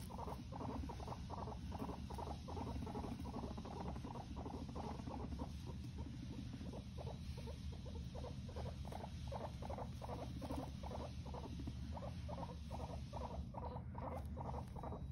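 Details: Guinea pigs fighting, giving a long run of rhythmic buzzy pulses, roughly two to three bursts each second and steady throughout, with a constant low background hum.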